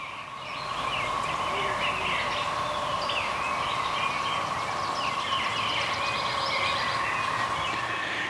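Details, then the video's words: A steady, mellow low drone from periodical cicadas in nearby woods, just starting to sing but not hot enough to get going, hums beneath lively chirping and twittering birdsong; a woodpecker may be nearby. "If you hear that tone, that low tone, those are the cicadas back here in the woods. They're just starting to sing,"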